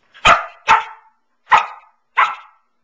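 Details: Nine-month-old Samoyed Pearl on her couch gives four loud, bright barks in quick succession, the first two close together, then two more after short pauses; nothing else intrudes.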